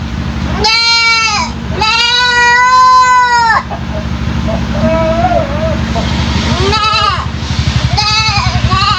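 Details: A three-month-old goat kid whose strange voice caught the attention of nearby residents gives two long, wavering bleats, the second drawn out for nearly two seconds, then shorter cries, against a constant throbbing motor hum.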